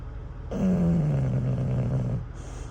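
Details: Sleeping English bulldog Cruz snores at a truck stop after wearing himself out with a campfire toy. A single deep, buzzing inhaled snore starts slightly higher and sinks lower over nearly two seconds, with a constant low hum behind it.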